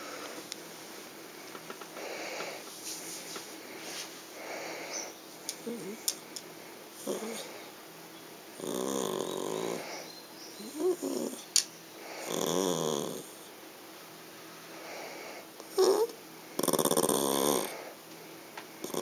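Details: A female Yorkshire Terrier complains and throws a tantrum because she can see a treat in a clear box but cannot get it. Indoors, she gives bursts of huffing grumbles, snorting breaths and short whines, separated by pauses, growing more forceful toward the end.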